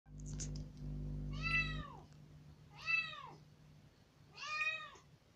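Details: Rescued kitten, about three days after being taken in, let out of its cage into a room for the first time, loudly meowing in demand; three drawn-out, arching meows about 1.5 seconds apart, a low steady hum at the start.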